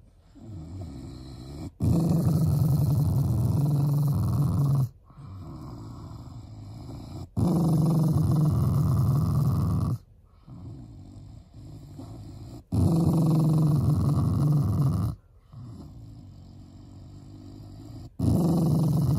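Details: Shiba Inu dog growling as a loving expression of affection toward its owners, not anger: long, deep, rumbling growls lasting two to three seconds each, repeated in several bouts with short quiet pauses between them.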